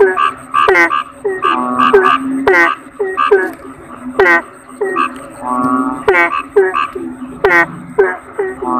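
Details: Asian common toad, locally kodok bangkong, croaking in a thick overlapping chorus. Quick falling harmonic calls alternate with lower droning croaks, with a steadier buzzy stretch mid-way and a faint high whine underneath.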